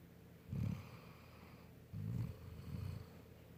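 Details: Golden Retriever Bella asleep, giving three deep, gravelly snores, the first strongest, spaced roughly one to one and a half seconds apart in a quiet indoor setting.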